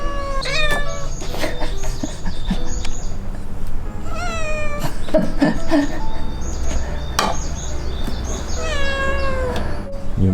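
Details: Indoor Ragdoll cat, one of eleven Ragdolls kept in a Korean home, giving several drawn-out meows with rising and falling tones, spaced a few seconds apart over steady background music.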